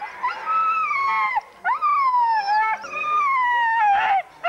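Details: Huskies at a sled dog race weekend in the Forest of Dean, November 2001, recorded on VHS tape: three long, sustained howls, each sliding slowly downward in pitch, separated by short breaks.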